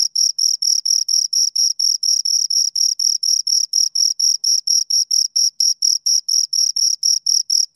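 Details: Crickets, two of them, producing rapid regular chirps, bright high-pitched pulses at roughly four per second, evenly spaced and unchanging, nothing else audible.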